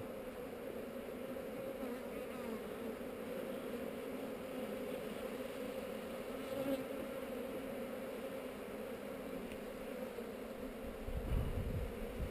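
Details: Hive bees on heather filmed with a GoPro during an inspection: dense, continuous buzzing of a crowd of insects holds level throughout, with a low thump of handling near the end.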